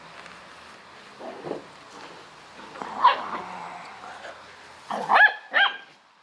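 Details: Korthals Griffon with a litter, on the litter's 56th day; a few short, sharp yips and barks in scattered bursts, the last three close together, with quiet background between.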